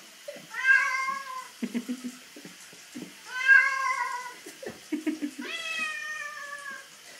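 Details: Pet cat Puss Puss protesting a bath: three long, strained, nasal meows about every two and a half seconds, each bending upward then falling, with water splashes and rustling in a small room between cries.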